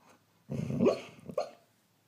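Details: Rescue greyhound, a female described as never barking while awake, woofing in her sleep while dreaming: one muffled, throaty woof with a breathy growling tail, then a short second huff.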